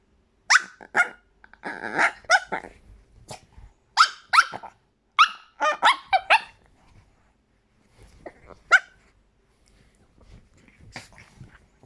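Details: Chihuahua giving a run of sharp, high squeaky barks, about a dozen yaps in uneven bursts with short growly squeals between, then a pause and a few scattered yaps toward the end, heard indoors.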